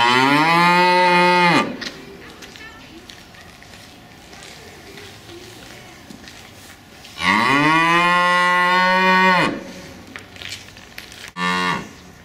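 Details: Two cows mooing loudly in protest because their keeper is late and they want to return to the barn at the usual time; two long harmonic moos, each about two seconds, separated by quiet with faint voices, a short third call at the end.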